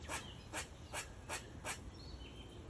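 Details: An Eastern Gray Squirrel in a maple tree calls with five quick, scratchy, barking notes in an even rhythm, each a brief broad burst, over a low steady background rumble.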